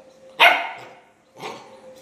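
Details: A Labrador puppy in speak training gives one loud, sharp bark, then a softer, shorter bark about a second later.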